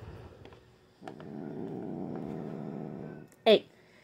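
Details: Female domestic cat, grumpy and growling one evening though usually calm, gives a steady low rumbling growl for about two seconds, then a short sharp yowl; soft human speech before.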